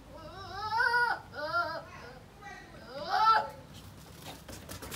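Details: Male goats bleating: two loud, wavering, harmonic-rich bleats roughly two seconds apart, each about a second long with a shaky tremolo, then a softer bleat and faint rustling and clicking.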